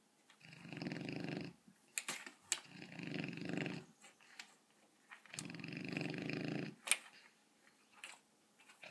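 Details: A sleeping 7-month-old Rottweiler, dreaming and running in his sleep, snores in long, rumbling, raspy breaths lasting about a second each.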